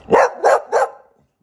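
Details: Pet dog, described as sad when its owner leaves, firing off three quick sharp barks in under a second, fading into silence.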